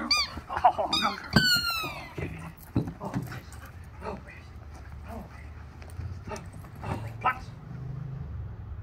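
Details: Lily, a female Rottweiler puppy in obedience training for food and a toy, lets out high, squeaky whines that slide downward near the start, over a man's voice and later soft shuffling sounds.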